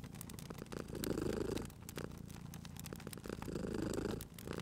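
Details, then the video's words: A sleeping cat purrs next to a crackling fireplace in cozy spring ambience. Rhythmic rumbling rises into two strong swells about three seconds apart, over an even low hum, while the fire crackles with sharp clicks. "Cute Purring Cat at a Crackling Fireplace"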